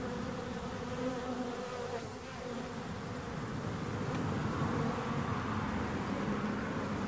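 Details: Bees hum in a thick, steady drone, with individual buzzing tones sliding up and down over the low background; the sound dips briefly near the start, then grows fuller.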